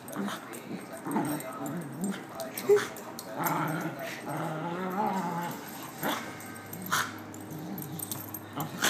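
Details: Playing puppies trade low wavering growls and rising whiny yips, overlapping calls in a busy tussle, with sharp clicks and knocks of paws and objects.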